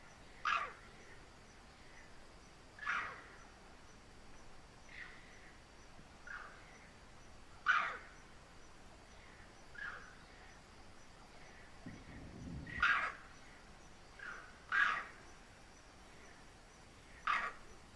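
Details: Bonnet macaque alarm calls in the dark after a leopard is seen: sharp, harsh barks repeated every two to three seconds.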